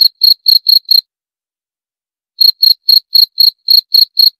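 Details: Cricket chirping in short, high, clean pulses about four per second, a run of five, a pause of over a second, then a steady run of nine more; no other sounds.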